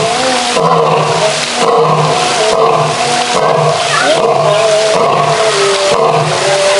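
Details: A male lion in a zoo roars in a series of loud, rough, throaty bursts about a second apart.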